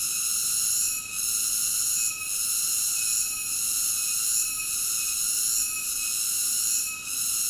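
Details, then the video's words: Piercing, sustained cicada drone of several high stacked tones, softening momentarily about once a second, without other voices or background noise. "Cicada ASMR Sleep Nature Sounds"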